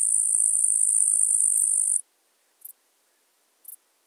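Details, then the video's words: Eastern green bush-cricket (Tettigonia caudata) singing in Marz, Austria, 18 July 2022: a steady high buzzing trill that stops abruptly after two seconds, followed by two brief isolated ticks about a second apart. "Tettigonia caudata -- Östliches Heupferd -- Eastern Green Bush-cricket"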